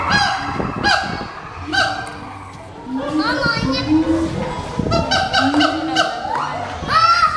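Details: Endangered siamang giving very loud territorial and family-bonding calls: honking, harmonic whoops that rise in pitch, delivered in bursts with short gaps, growing louder and more excited toward the end.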